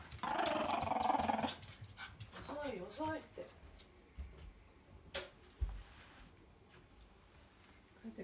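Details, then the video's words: Pet dog Kohaku, angry at being left behind when its owner went out, complains while greeting her return indoors: a loud sustained grumbling howl for about a second and a half, then short wavering whiny yowls, with a woman talking and household clatter. "置いてかれた事に怒って文句を言いながら出迎える犬｜Angry Dog"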